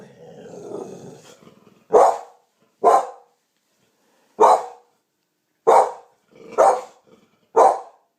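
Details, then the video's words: Champagne-coloured American Pit Bull Terrier barking after hearing a strange noise: a low rumble first, then six sharp, loud single barks spaced about one to one and a half seconds apart. "Champagne Pitbull - Heard a strange noise"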